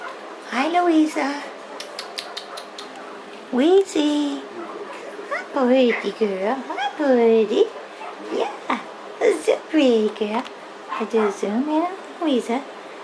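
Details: Four 8-day-old poodle puppies, all male, with their mother Louisa Jacqueline of Hearthside, November 27, 2011; high, rising and falling whimpers and squeals come in quick bursts, overlapping one another, with quiet gaps between them.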